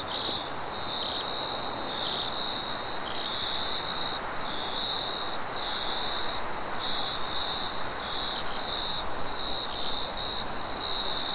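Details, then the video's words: Late-night cricket chorus: continuous high-pitched trilling broken into short repeated chirp segments, with a fainter higher band and a steady low rumbling hiss underneath. "Cricket sounds"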